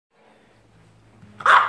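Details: Pet dog Tomi barking at a phone camera to ask for treats, having been given snacks the last time it was filmed; a faint low hum, then one short, sharp bark at the very end.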